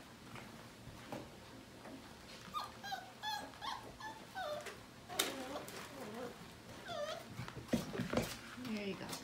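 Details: Five-week-old Portuguese Water Dog puppies of the Grand Ole Opry litter (Libby x Nash) playing in the morning; high whimpers and yips with squeaky harmonic chirps, scuffling, and a person speaking briefly.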